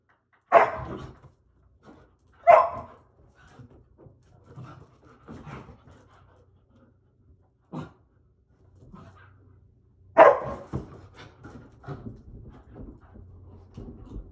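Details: Poodles that cannot wait their turn to play outside bark in a room: two sharp barks close together, softer whines and rustling, then a third loud bark followed by restless low grumbling sounds.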